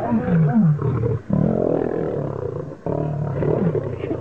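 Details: Fighting lions give harsh, deep growling snarls in rapid, uneven bursts. Two short silent gaps split the clip into three snarling bouts, each starting loud and trailing into lower rumbles.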